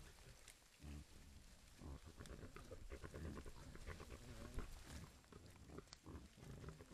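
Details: A camera-trapped herd of wild boar with piglets, foraging in Italy's Casentinesi Forests National Park, grunt and snort in deep, rough, irregular, mostly low-pitched bursts over rustling and soft background noise.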